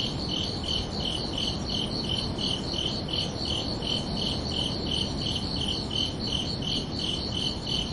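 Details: Under a peaceful night sky in summer, crickets keep up an unbroken series of high, rhythmic chirps, around three per second, with low steady ambient hiss beneath.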